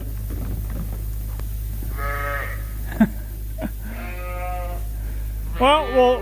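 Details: Suffolk lambs mixed into one big group in a barn at Ewetopia Farms after escaping through an open gate; three separate wavering, harmonic bleats, the last loudest, over a steady low mechanical hum.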